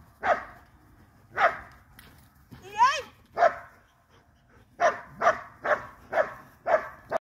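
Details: Cane Corso giving spaced barks, then a quicker run of barks. A brief wavering, rising squeal sounds between them near the middle.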